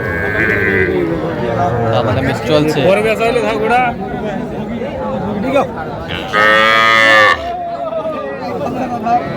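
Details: Small Sahiwal heifer calves at a cattle market on 7 January 2025, with a Gazipur farmer buying: one loud, strained moo lasting about a second near the end, amid dense market chatter and nearby bargaining voices.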